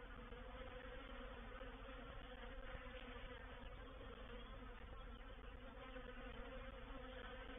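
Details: Reproductive swarm of honey bees entering a swarm trap at Painted Peacock Manor, 04/07/21; unbroken droning buzz of many bees, even in loudness throughout with layered humming tones.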